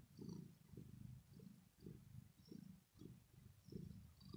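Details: Female domestic cat purring after playing, a deep throaty sound of contentment; low rumbling bursts swell and fade roughly every half second, following her breathing, with no other sounds.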